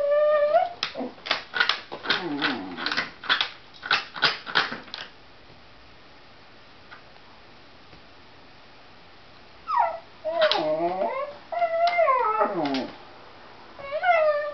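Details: Dog whining frantically at a cat outside: a fast run of short, sharp yelping whimpers, then several seconds of silence, then longer falling whines.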